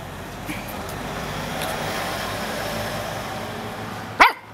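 A Cocker Spaniel gives one sharp, bright bark after several seconds of steady background rumble.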